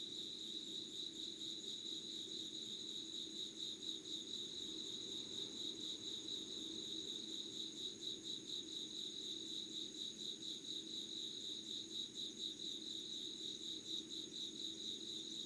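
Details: Insects at dawn, 5 a.m. on 25 August 2019, in Yugawara, Kanagawa, Japan, recorded beside candle light: a dense, steady shrill chorus with fast pulsing trills, a thin higher whine over it, and a soft low droning band underneath.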